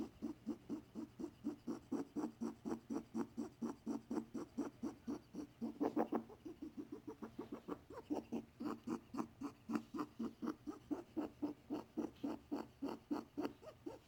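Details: Pet male rabbit making unusual sounds; a veterinarian was unsure of the cause and gave antibiotics. Soft, low, rhythmic snuffling pulses come about four times a second, steady throughout, with a slightly louder burst near the middle.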